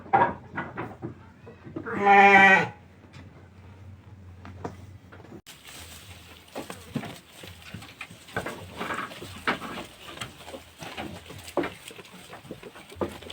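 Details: Garut fighting sheep kept in a pen and being fed fresh grass; one loud, wavering, harmonic bleat near the start, then rustling of grass and feeding noises with faint background sounds.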